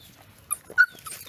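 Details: Mother dog looking after her puppies; a brief high whimper, two short tonal squeaks in about a second against a quiet background.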